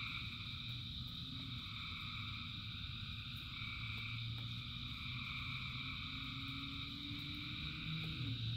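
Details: Frogs calling during rain in a massed chorus: overlapping high sustained trills blend into continuous bands, with fast rapid pulsing and a deeper throbbing hum running underneath throughout.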